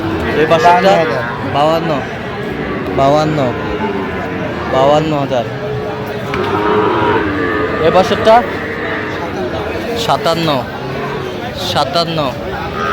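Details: Sahiwal bull calves at a busy cattle market in Bangladesh, recorded 27 August 2025 as a Noakhali farmer buys: short bawling moos repeat every one to two seconds over crowd chatter and voices.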